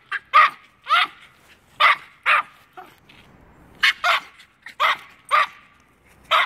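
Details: Two Norfolk Terriers barking up at a squirrel in a tree; sharp, high yappy barks come singly and in quick pairs, roughly a dozen across the stretch, with quiet gaps between bursts.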